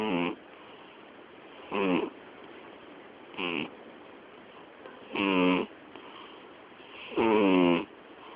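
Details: Miyabi, a female domestic cat about to turn 12, sleeping and snoring so loudly it drowns out the television; hoarse rasping snores with ringing tones, each about half a second, repeated roughly every two seconds indoors.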